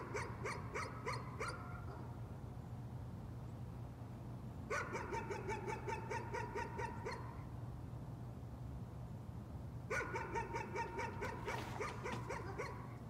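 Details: A dog barking as a nuisance, in three separate bursts of rapid yappy barks, five, then about nine, then about eight, with quiet gaps between and a steady low hum throughout.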